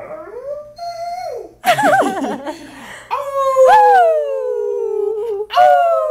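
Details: London the dog, taught over months to answer a fire siren, gives rising and falling howls, one long sustained note slowly sinking, amid noisy bursts that sound like laughter indoors.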